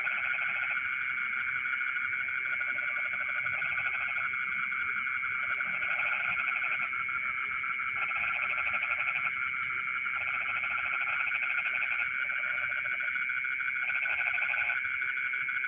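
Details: Frogs singing in rice fields in the middle of the night: pulsed, rattling croaks in bursts of about a second, about eight across the stretch, over a steady high shrilling of insects that never stops.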